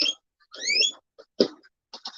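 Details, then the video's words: Pet guinea pigs, one of them a rescue, give high, whistling squeaks with a rising chirp among them, usually their happy noise. "you can hear them making their noises guinea pigs make a variety of noises this is usually their happy noise there's Rusty hey Rusty"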